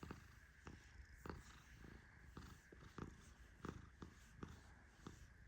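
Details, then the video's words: Fluffy male Persian cat napping as he is petted, producing quiet, low, steady snoring beneath rhythmic rustling strokes of a hand through his fur, spaced around every half to one second. "My Cat Snores Like a Tiny Lion 🦁💤 ¡Mi Gato Ronca Como un León Chiquito!"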